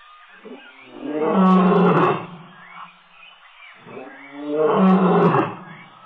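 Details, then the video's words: Male lion at Tembe Elephant Park, recorded 26 October 2013: two long, deep, moaning roars, each swelling for about a second and then fading, separated by a quieter pause. "Male Lion at Tembe"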